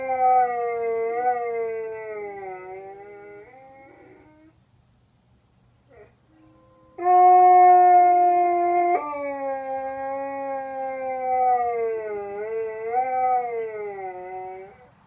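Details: Two huskies at a hostel in Jasper, Alberta, one inside, howl back and forth in the morning: long, wavering howls, with a second, steadier howl joining in after a pause.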